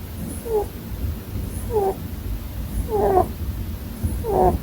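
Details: Sleeping pet Holland Lop rabbit snoring: short squeaky nasal bursts with stacked overtones, each gliding slightly, repeated roughly every 1.2 seconds over a steady low indoor hum.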